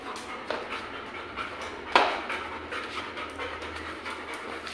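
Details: Pet Labrador Retriever Goku, playful and up to mischief, called over for ice cream; fast rhythmic panting with airy puffs, one sharper louder burst near the middle, low steady hum underneath.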